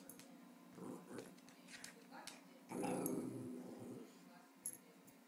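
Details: Indoors, 15-month-old Jack Russell Terrier Grace wants to play rope. Short low grumbles come early, then a louder rough growl near three seconds. A steady faint hum runs underneath, with light tapping noises.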